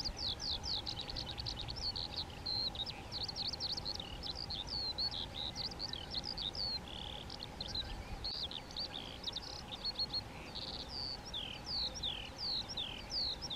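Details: Spermophilus citellus, the European ground squirrel, vocal communication within a colony: many clipped, high-pitched falling whistles overlapping in a busy chorus, pausing briefly and then resuming, set against steady low hum and ambient noise.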